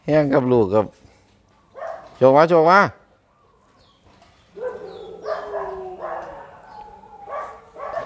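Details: Red-nose American Pit Bull Terrier, mother and pups: two loud arching yelps in the first three seconds, then a stretch of thin, wavering whines and squeals from the puppies, with laughter nearby.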